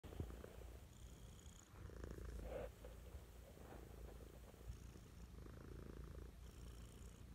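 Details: Mischa, a pet cat, purring affectionately in the morning; a steady low rumbling purr with soft breathy cycles, quiet room, faint higher hiss bands coming and going.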